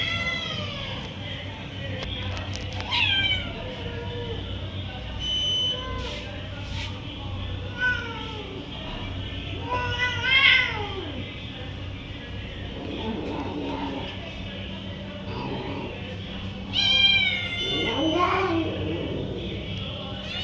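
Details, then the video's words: Stray domestic cats, called for food with a 'chu chu chu' sound, running toward the caller; several harmonic, drawn-out meows rise then fall, spaced apart over a steady low hum and faint background noise. "Calling Stray Cats by Making Sound Chu Chu Chu"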